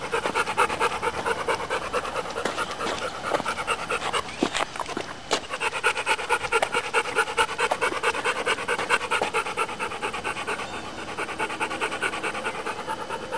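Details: Dog panting that sounds like a steam engine, a long run of rapid rhythmic chuffs, steady and breathy, with a couple of sharper clicks midway.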